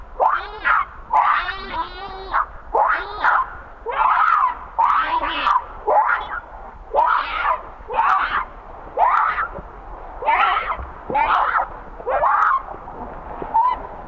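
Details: Young monkey Rainbow cries out while its mother Libby mistreats it. It gives a steady run of shrill, wavering screams, roughly one each second, sometimes breaking into rasping harmonics. There is no other clear sound.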